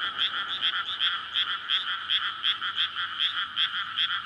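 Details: Frogs calling for courtship after water fills a rice paddy in May, recorded at night near homes; loud pulsed croaks about two to three per second, several callers overlapping.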